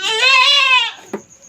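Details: Backyard domestic goat at night during her first kidding: a single loud, drawn-out bleat lasting about a second, rich in harmonics and slightly wavering, followed by a brief click against a faint high insect tone.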